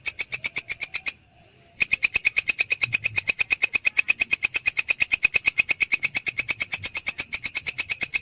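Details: Masteran recording of belalang krek, a grasshopper: fast regular crackling pulses near six per second, briefly broken by a short silent gap after one second, then resuming at the same steady, dry, high-pitched rhythm.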